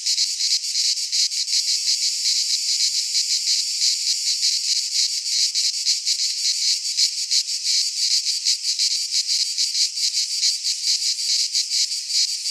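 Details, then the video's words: Midsummer chorus of cicadas in a pine forest in Greece, a steady high rasping drone with uneven, loosely spaced swells in loudness and nothing else audible. "Cicadas singing in midsummer - Nature sounds from the Greek fauna - Sounds of cicadas"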